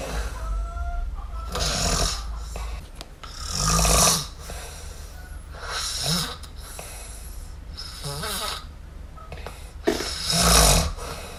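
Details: Kitten named MiuMiu asleep and snoring indoors: breathy, noisy rasping snores in uneven bursts roughly every two seconds, with a faint low hum in the room.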